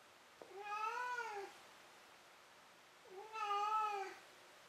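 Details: After a bout of running and catching a toy, a house cat calls indoors with two long arched meows roughly two seconds apart, full of harmonics, over a quiet room background.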